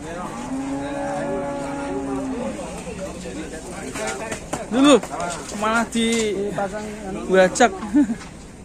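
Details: Raging cow in Indonesia, a long, steady, low moo drawn out for about two seconds, followed by shorter rising and falling bellows and shouts mixed with louder bursts.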